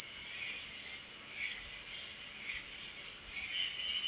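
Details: Night chorus of crickets: one continuous piercing high trill with no pauses, over soft, faint, wobbling lower tones.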